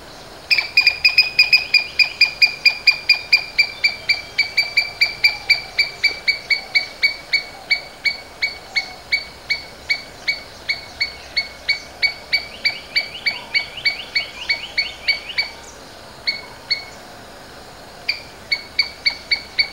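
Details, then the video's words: Domestic Asian palm squirrel giving sharp, high chipping calls, about three per second, in a long steady series. The notes thin out briefly near the end and then resume, over faint low background hiss. "Domestic Squirrels Sounds various versions | Asian Palm Squirrels"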